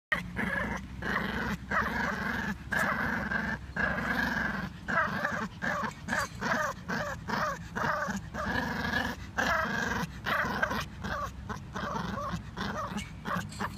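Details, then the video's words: A Pomeranian making a funny, sputtering noise likened to a moped: rapid pulsed growly rumbling in short bursts, each lasting about half a second to a second, separated by brief gaps, repeated steadily throughout. "Pomeranian sounds like a moped"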